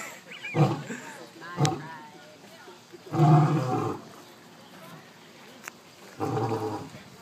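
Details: Captive lions at Big Cat Habitat in Sarasota, Florida, communicating with each other, give deep, rumbling roars in a series of low, throaty bursts separated by pauses.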